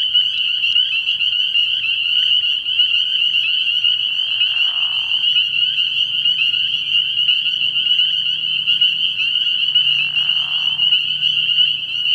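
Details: Early-spring nighttime frog pond packed with spring peepers, their high whistled peeps blending into an unbroken shrill drone, while a lower, rougher sound rises briefly about twice in the background.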